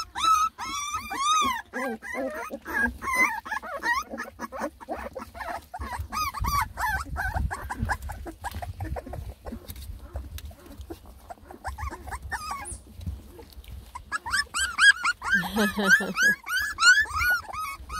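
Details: Ten Beagle puppies, a litter of lemon and tricolor babies, fuss and complain while trying food for the first time; many overlapping high arched whines and yips, with background music and laughter.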